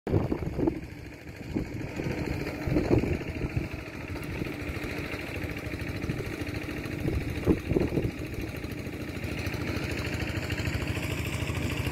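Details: A motorcycle engine idles steadily throughout, with a few louder revving bursts outdoors in a rural setting.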